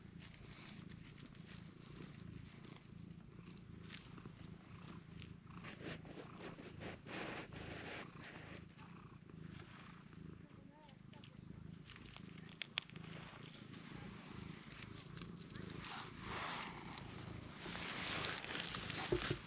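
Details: A cream-coloured cat purrs continuously, a low steady rumble that runs throughout, while being petted on the face, which it enjoys, though it kicks in protest when its body is touched; light rustling and brief clicks over the top.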